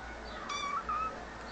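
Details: Kitten answering its owner indoors with a clear mid-pitched meow of about half a second, steady then gently rising at the end, followed by a second short mew; the owner talks softly in Turkish around it.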